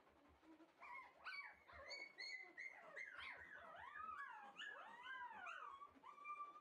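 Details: Red male Shiba Inu puppy bred for exhibition, whimpering steadily: loud, wavering whines that arch up and down in quick succession, some overlapping, with short yelps mixed in and a low indoor rumble.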